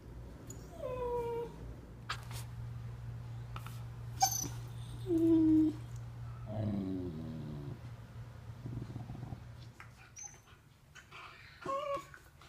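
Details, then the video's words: Golden retriever puppy named Dagny giving short, high, thin whines and squeaks in scattered bursts, some sliding downward, with a few soft lower grumbles midway, over a steady low hum. "Dagny vs. Communication (golden retriever puppy)"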